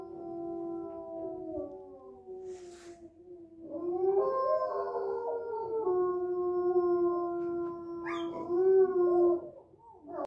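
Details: Three gray wolves at the Veles quarantine centre howl together, long smooth tones overlapping and bending in pitch.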